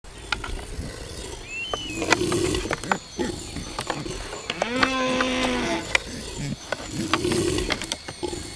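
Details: Two stags fighting in the wild give a string of sharp, irregular clacks and rattling knocks, with a sustained, moaning, overtone-rich bellow midway and a brief high whistle near the start.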